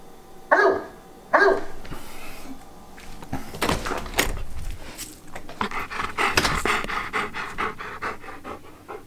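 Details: Wallace, an Old English Sheepdog kept as a pet, telling his owners what is on his mind: two short, deep woofs a second apart, then irregular rapid panting with scattered thumps and rustling indoors.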